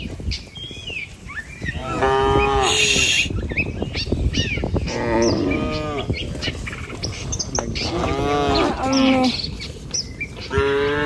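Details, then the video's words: ['Village cattle, tame and herded, crossing a wooden bridge on a wet rice-field path toward pasture; several overlapping moos of varied length, some drawn out, others short and wavering, with footsteps and rustling throughout.'] "Sapi Lembu Jinak Berjejer Melewati Jembatan Kayu Menuju Rumput Sedap Suara Moouu"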